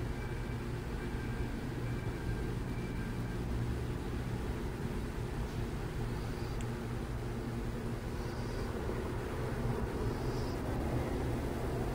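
Steady low traffic rumble throughout, with no clear animal calls.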